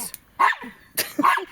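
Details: Short, sharp yapping barks in quick succession from a Jack Russell Terrier, Treisy or Azzuro, indoors at home, a burst of three or four within about a second and a half.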